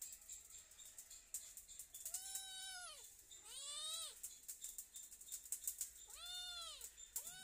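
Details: A cat meows loudly again and again, giving two arched, wavering meows close together, a pause, then two more, the last cut short, with scattered clicking and tapping noises throughout.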